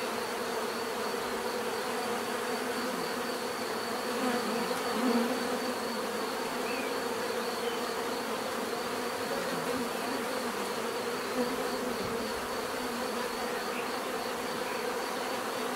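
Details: Steady natural bee buzzing, a thick unbroken hum of many insects with a faint high whine above, a brief louder swell near the middle as a bee passes close.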